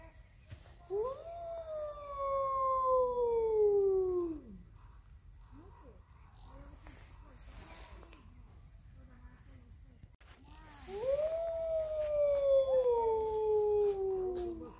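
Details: Captive Hudson Bay wolf, Canis lupus hudsonicus, at a zoo in Târgu Mureș, Romania, gives two long, smooth howls, each starting high then slowly sliding downward over about three seconds, separated by a quiet gap with faint background murmurs.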